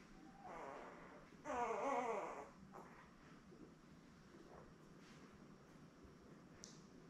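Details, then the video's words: Newborn Labrador Retriever puppy, one of a litter of seven born May 24, 2021 to mother Belle, on a live puppy cam on 3 June: a single wavering, harmonic whine lasting under a second, then soft rustling and quiet room noise. "Lab Puppies LIVE STREAM Puppy Cam"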